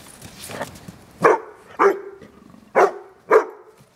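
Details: Bloodhound named Wilma playing in snow gives four loud, deep barks spaced about half a second to a second apart, each a short harmonic-rich burst, over faint background rustling.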